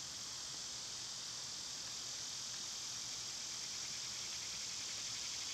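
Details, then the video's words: Cicadas in summer, loud at this time of year, give a steady, dense, high hissing buzz that runs without a break through the whole stretch, with no other clear sounds. "Cicada sounds"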